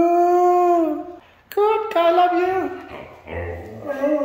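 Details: A red female Siberian husky vocalizes in clear, steady howl-like tones, a held note dropping at the end, a brief break, then wavering, yodeling phrases that trail into softer moans.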